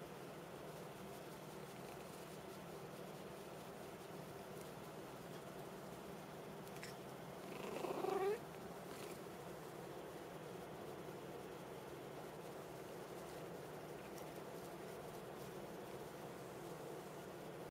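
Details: Domestic cat acting affectionate after being called by name: one short, loud, rising trilled meow partway through, set against a steady low background hum with otherwise no calls.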